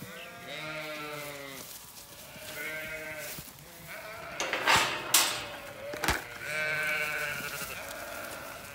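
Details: Zwartbles rams on a County Kilkenny farm in Ireland, called along a public road to a new paddock during silage season. Several quavering bleats come at intervals, with a man calling and sharp knocking and scuffling between them.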